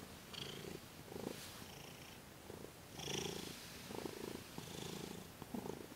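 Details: Domestic cat Thomas purring during a massage and Reiki session, December 28, 2021: low, buzzy rumbles rise and fall in steady breath-paced bursts, with soft hissy rustles between them.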